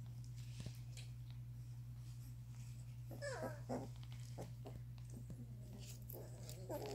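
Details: Doberman puppies, two and a half weeks old, whining and whimpering as they learn to sit up and move. Short, wavering, high whines and squeaks come in bursts midway and near the end, over a steady low electrical hum and soft rustling.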